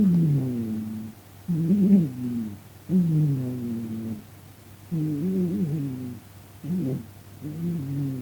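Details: Domestic cat asleep and snoring loudly, sometimes talking in its sleep; low, drawn-out harmonic breaths with a droning, moaning tone, in bursts of about a second separated by short quiet pauses.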